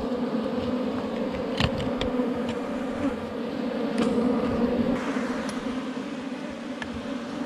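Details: A wild honey bee colony in a forest beehive under rocks, disturbed during honey collection, buzzes in an even, continuous low drone, with scattered clicks and scraping noises from the work.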